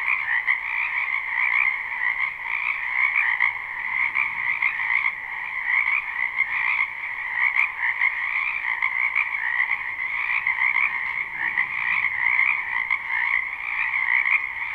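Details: Live springtime recording from a wetland full of frogs: a steady, dense chorus of shrill pulsing croaks in two bright layers, gently rising and falling in loudness, with a single faint tick midway.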